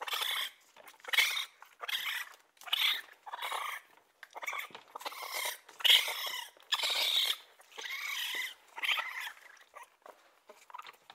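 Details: Raccoon giving harsh, squealing chitters in bursts under a second long, each rough and full of overtones, repeated irregularly with brief pauses.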